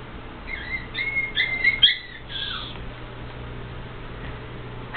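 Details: Celest, a tiny female Yorkshire Terrier puppy expected to reach 2 to 4 pounds, gives a short run of high, squeaky whines with quick pitch bends over about two seconds, then falls quiet; a person talks nearby beforehand.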